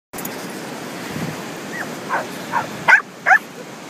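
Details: A Corgi at a Corgi beach gathering on 20 April 2013 gives a quick run of short, high yipping barks over a steady background hiss.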